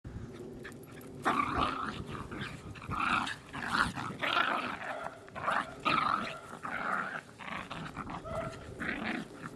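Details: Pet dogs indoors giving a run of rough, throaty growling grumbles in uneven bursts roughly every half second to a second, after a quiet opening of about a second.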